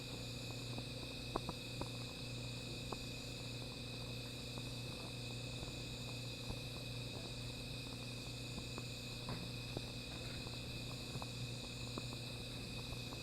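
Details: Night insects calling beside a small fire, a steady unbroken high-pitched drone in several layers, with scattered sharp crackles and pops from the fire and a constant low hum underneath.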